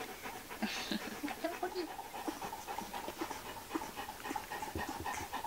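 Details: Gordon Setter puppy in its first four months panting in quick, irregular breaths, rapid short huffs throughout, with faint speech in the background.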